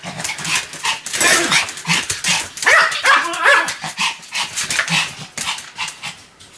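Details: Sam, a Pomeranian dog, barking continuously: sharp, high yapping barks fired in rapid, uneven bursts of about two or three per second, with hardly a pause across the stretch.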